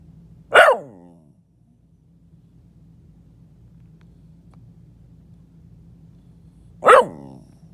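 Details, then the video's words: Dog hiding under a bed lets out two sharp, bright barks about six seconds apart, each with a short falling tail, over a faint low hum. "my dog talking under my bed"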